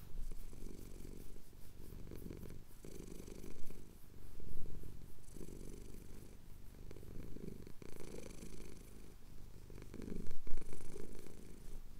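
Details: Loud, close purring from a male cat enjoying a chin scratch at dawn over the Cotswold hills; steady deep rumble in pulses with short breaks, growing stronger toward the end.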